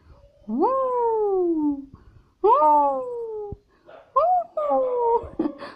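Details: Toy Pomeranian, one of two kept in Kathmandu, Nepal, curious and playing inside a cage indoors: two long whining cries that jump up then slide down, followed by shorter bent whines, with a brief human voice nearby.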